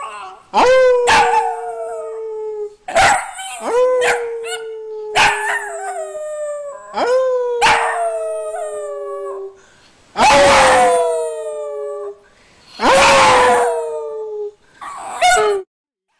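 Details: Dog rooing over and over: about eight drawn-out howls, each opening with a quick rising swoop and then gliding gently downward. Some are broken by short yips, and the later howls sound rougher and breathier.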